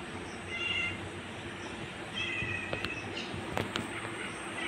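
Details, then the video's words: Angry domestic cat attacking a kitten gives two short, strained, harmonic yowls, the first near the start and a longer one midway, followed by sharp clicks and scuffling, all over a steady loud background hiss. "Angry Cat attacking Kitten"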